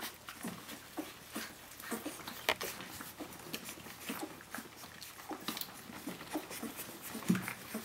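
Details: Litter of Brenda's puppies, 17 days old, crying out for their mother in a small room; brief high whines and squeals scattered over several seconds, mixed with constant scratching and shuffling noises, one louder yelp near the end.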